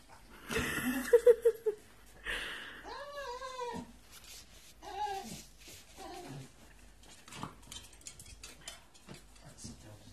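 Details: An impatient one-year-old male Staffordshire bull terrier waits indoors to be taken for a walk. He makes wavering, drawn-out whines and yowls that bend up and down, with short bursts between them, while his owner talks excitedly about walkies.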